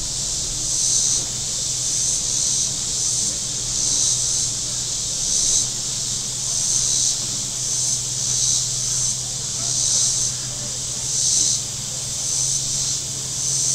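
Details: Cicadas on the shore of Table Rock Lake in southern Missouri on a very warm Saturday: a dense, high, hissing buzz that swells in waves about every second, over a steady low drone of boat engines on the lake.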